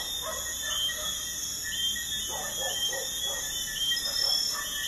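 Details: Night crickets near a busy highway keep up a continuous shrill ringing drone of stacked high tones, dotted with soft, irregular lower-pitched chirps underneath.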